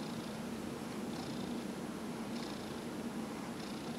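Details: Fifteen-year-old house cat purring while being massaged, November 2018; continuous low vibrating purr, with faint breathy hiss rising about every one and a quarter seconds as the cat inhales.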